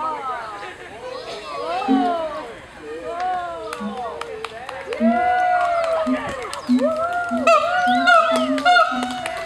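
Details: Siamangs at Honolulu Zoo, 2012, give arching, swooping hoots together with short low booms that come roughly every second, building toward the end, while a faint hum of people sits in the background.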